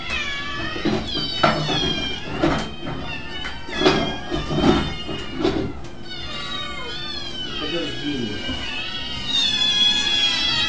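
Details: Kittens meowing while playing: many high, thin meows that rise and fall, overlapping in quick bursts, with a person talking and background music throughout.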